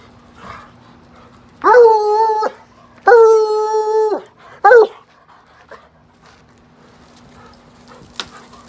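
A Bluetick Coonhound gives three drawn-out, ringing bawls, each held steady before breaking off.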